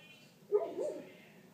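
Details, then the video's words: Great Pyrenees giving a single bark, a sudden loud start sliding into a drawn-out, hoarse, wavering tail lasting about half a second, with nothing else audible around it. "Pyr barking"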